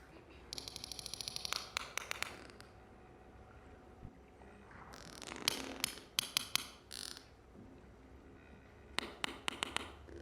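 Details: A sperm whale family group of mothers, grandmothers and siblings, with a newborn calf, trades sharp, dry clicks in quick bursts, the clicking they use to communicate within the family.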